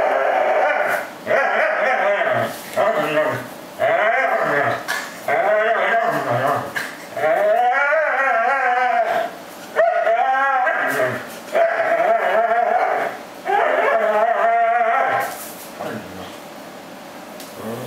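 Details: Corgi voluntarily hanging onto a plush fish toy, making sounds of joy while playing; repeated yodelling whines and grumbles with swooping pitch, in bursts of one to two seconds, fading out toward the end.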